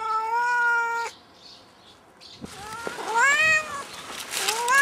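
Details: Cat stuck up a tree, giving one long level meow, then a quiet pause, then several shorter rising and falling meows over rustling noise.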